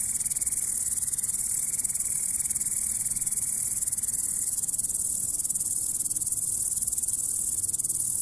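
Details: Grasshopper. A grasshopper keeps up a high, shimmering stridulation, a dense stream of rapid pulses that never pauses. A faint, thin steady tone fades out partway through beneath it.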